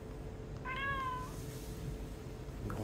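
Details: Indoor cat calling for a rice-paddle stroking: a single clear meow, level then gently falling, over a constant low hum in a small room.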